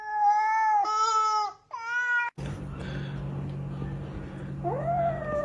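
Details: Domestic cats, shown in a funny compilation, give three loud, drawn-out, strongly harmonic meows in quick succession. Then comes a stretch of background noise and low hum, and a final rising meow near the end.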